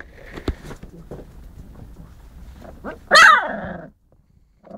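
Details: One of four husky puppies gives a single loud, high yelp with an arching pitch after some faint scuffling and soft noises, then goes quiet.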